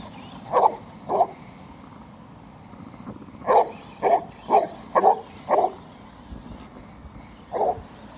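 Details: Cletus the Basset Hound, obsessed with chasing his RC truck, gives two barks, then a quick run of five barks about half a second apart and a final bark after a pause. Faint vehicle noise underneath.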